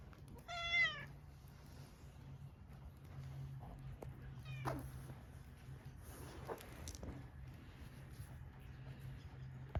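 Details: Tortoiseshell community cat meowing after noticing the person it had cautiously approached: one clear wavering meow at the start, a fainter one later, over a steady low hum and light rustling.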